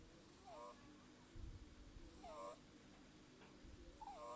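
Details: Burmese kitten Kira, eight weeks old, snores with nasal, whistling squeaks that bend up and down, roughly every two seconds, each with a faint breathy hiss; a constant low hum sits underneath.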